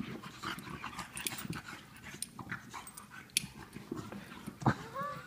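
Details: Two pet dogs at play, Lola the English Bulldog and Mr. Fitzgerald the Wheaten Terrier: breathy, irregular panting and scuffling bursts throughout, with a faint human voice near the end.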